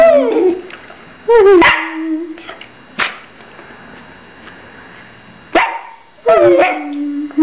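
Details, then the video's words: Pet dog, talkative when spoken to or when people eat near him, giving a sort of singing: loud wavering yowls and howl-like moans in bursts about a second long, separated by quiet gaps, some ending in a long steady low tone. "Hanzo (sort of!) sings"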